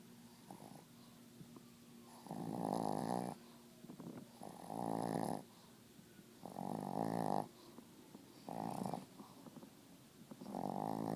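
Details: Loud snoring from Pablo the dog: five regular rough, buzzing bursts about every two seconds, separated by short quiet gaps, in a small indoor room.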